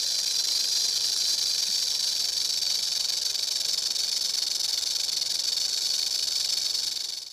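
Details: A timber rattlesnake from Kentucky, a species found mostly in the state's mountainous regions, rattles in a steady, dry, high-pitched buzz that holds without a break, then stops.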